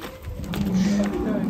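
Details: Sacrificial cow being loaded onto a truck in Indonesia, a short steady low moo held for under a second amid crowd noise and faint music.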